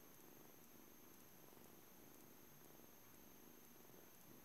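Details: Low, even purring from a seven-week-old blue male British Shorthair kitten called Juno, living at a cattery; the rumble stays steady and close for the whole short stretch, with faint background hum.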